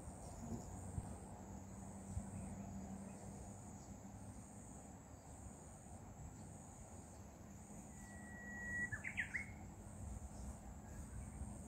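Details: Katydid, possibly, calling outdoors: a thin, high, steady buzz pulsing in short regular beats throughout, with a brief chirping bird near the end and a low rural background hum.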